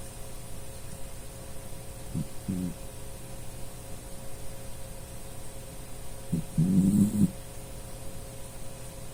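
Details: Pet dachshund Puchi asleep and snoring indoors; two low, rough snoring breaths, a short one then a longer rasping one, against a constant electrical hum.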